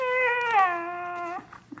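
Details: Kira, a growing Siberian Husky, complains to her owner indoors with one long, tonal, harmonic whine-howl. It starts high, slides down midway and holds steady for over a second before breaking off, leaving quiet room sound.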